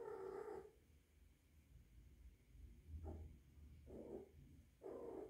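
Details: A rescued three-month-old female kitten, kept indoors with adult cats and possibly in heat, gives short, muffled mid-pitched calls. Four or five brief bursts come about a second apart over a low room hum.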